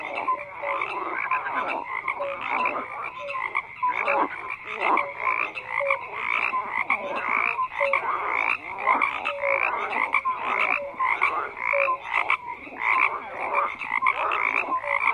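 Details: Continuous frog croaking, a dense wall of rattling pulses from many animals with short clear notes recurring every second or so.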